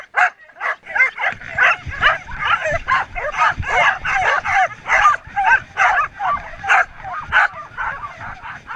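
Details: Twelve Samoyeds of a mixed kennel team barking before a 2014 race start in Oberndorf, run from stake-out to start; frantic high yips and barks in a rapid stream over low rumbling movement noise.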